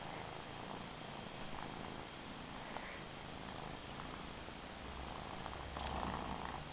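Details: Cookie the cat purring in an unbroken low rumble, the pulsing drone steady throughout with a slightly louder stretch toward the end, heard at close range inside.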